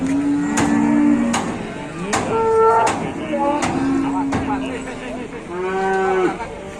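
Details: A herd of big cattle in Indonesia is being unloaded for traders. Many short and long lowing moos follow each other, some bending in pitch. Sharp knocks and banging and people talking sound underneath.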